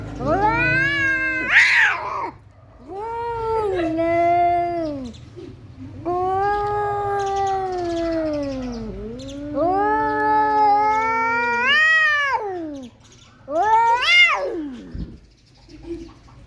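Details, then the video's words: An angry resident male cat threatening an intruding tomcat during a fight at home: long wavering yowls and moaning howls rising and falling in pitch, broken by a few sharp hissing spits, with a low background hum. "Funny Cats Arguing - Cats Talking To Each Others"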